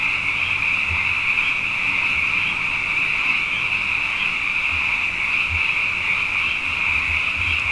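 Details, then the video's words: Frogs calling night after night after two wet years, numerous and abundant: a steady high-pitched massed trilling without breaks, with a faint low droning hum and occasional soft thuds underneath. "Frog Songs: Na Mele o nā Paloka"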